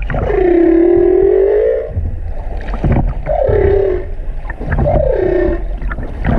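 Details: Humpback whale song recorded in February 2019 at the Silver Bank, Dominican Republic, among the first recordings of that year's song: long moaning tones that swoop down and level off, repeated in phrases.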